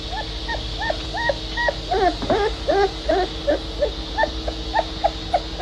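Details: Puppies whimpering in short, whiny, high notes, about two or three a second, some bending up and down, over a faint steady hum.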